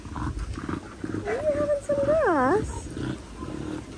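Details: Linc, a baby Australian cattle dog, at play with bigger puppies in a paddock: a long tonal whine that holds steady, then dips and swoops up and down with rich overtones, among scuffling noises and low voices.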